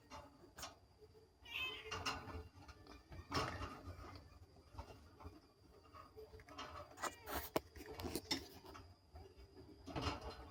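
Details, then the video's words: Two young kittens mew with thin, high, wavering cries in short scattered bursts, amid clicks, rustling and handling noises in a quiet room. "ANAK KUCING MEONG MEONG"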